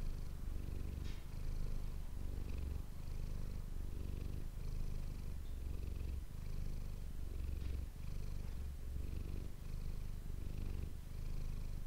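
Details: Domestic cat Manis giving a long steady purr near an ASMR microphone; the low throbbing rumble alternates between inhale and exhale phases roughly every second, with a few faint clicks and rustles.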